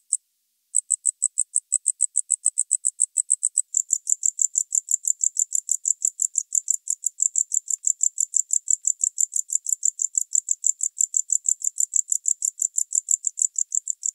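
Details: Tropical house cricket (Gryllodes sigillatus) recorded in Starnberg, Germany, on 19 November 2021: a steady series of high, pulsed chirps, about three per second, continuing without pause after a brief opening gap, in clean, noise-free surroundings.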